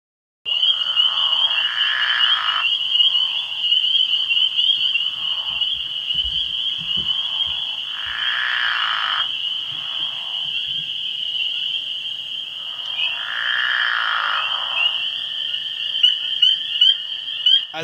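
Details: Pickerel frog in Ontario, calling March into April; three low, snore-like rasping bursts, each lasting one to two seconds, come roughly every six seconds over a steady, high-pitched continuous trill from other frogs.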